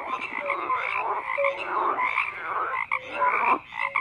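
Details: Overlapping frog croaks fill the recording, a crowded chorus of raspy pulses and short tonal notes rising and falling in loudness.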